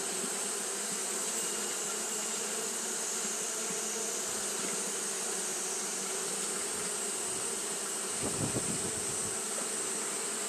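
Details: Japanese honey bee colony fanning nonstop in hot weather: an even, low-pitched hum of many wings, with a brief louder rumbling burst near the end and a steady high hiss behind.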